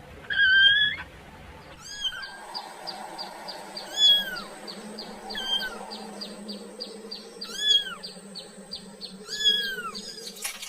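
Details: Kitten calling for its mother: several short, sharply arched meows spaced two to three seconds apart, over a steady high whine and a low hum.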